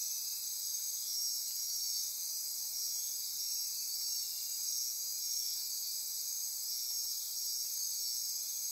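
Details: Nocturnal rainforest insects near Corcovado National Park, Costa Rica, form an unbroken high-pitched wall of trilling and ratcheting, a slightly pulsing shimmer running steadily across the whole stretch.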